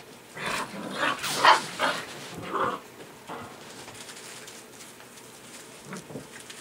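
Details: Six-week-old white Golden Retriever puppies give a quick run of high yips and small barks early on, then quieter faint whines amid soft background shuffling.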